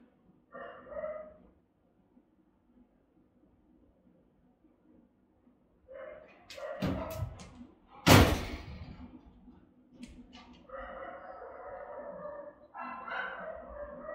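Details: Rottweilers guarding a home, filmed by a camera the dogs sniff and investigate; a single bark, then quiet, then loud thumps and a sharp knock against the device, followed by a run of deep, resonant barking.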